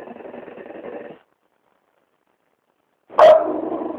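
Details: Pet French bulldog, described as disturbed, growling at someone's foot: a rough, rumbling growl fades out, leaving a few seconds of silence before a sudden sharp bark that trails into a renewed growl.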